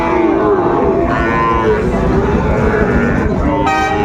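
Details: At the Raniganj haat in Dinajpur on 2 May 2024, Sahiwal bull calves for sale give several short, even, low moos in a row against busy market chatter. Prices are called out around them.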